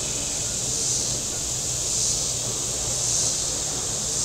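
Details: Cicadas on the shore of Table Rock Lake in southern Missouri on a very warm Saturday, a dense high hiss swelling gently about once a second, with a low engine hum from boats on the lake beneath.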